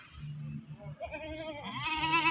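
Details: Goat being taken to the livestock market at Pakis, Malang: a wavering, harmonic bleat rises and strengthens through the final second, over nearby voices and a steady low hum.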